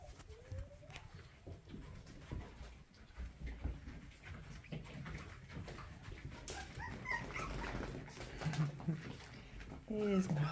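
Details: Toy Poodle puppies at play indoors while being introduced to a balance board and enrichment toys; short high rising whines and squeaky whimpers come in scattered bursts over clattering paws, knocks and a woman talking softly.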